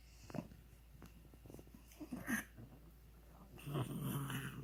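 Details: Funny noises from Ronja, a pug: rough, breathy snoring and snuffling sounds, irregular and crackly, rising into a louder, longer rasping snort near the end.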